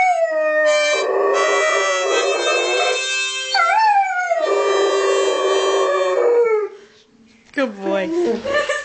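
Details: Domestic Doberman singing to harmonica music, long quavering howls that rise and dip while harmonica chords play, a short pause, then more howling.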